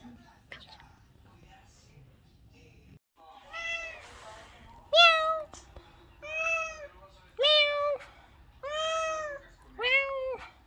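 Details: Rescued and adopted domestic cat indoors, giving a series of six drawn-out meows about every 1.2 seconds. Each is clear and tonal, arching up and then falling. Brief human speech and soft noises come before them.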